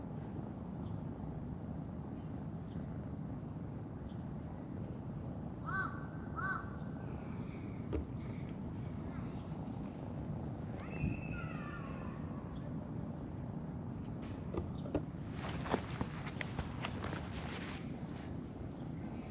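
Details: Stray tortoiseshell kitten, handled by a person at a first meeting, gives a pair of brief, rising-falling meows, then a longer, drawn-out falling mew. Constant low outdoor hum, with rustling and handling noises near the end.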